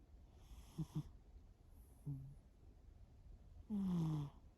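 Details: Sleeping pet cat named Shimao snoring indoors: three snores, the first a pair of short snorts, the last a longer low, slightly falling rasp with airy hiss above, separated by quiet breathing.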